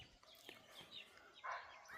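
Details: At night in Gir National Park, India, a barking deer gives a single sharp, hoarse bark from close by, probably from a stream channel near a tree, with quiet human voices nearby; it calls again and runs off.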